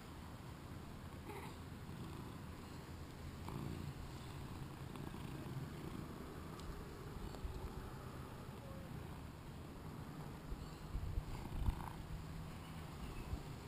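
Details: Playful two-year-old British Shorthair tom named Shinobi, filmed with a GoPro, purrs in a soft continuous low drone, broken by a few brief faint higher sounds and light bumps near the end.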